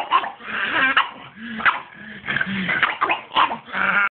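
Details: Pug barking at everyone during a mental fit, a run of harsh, noisy barks and yelps repeated in quick bursts across the clip.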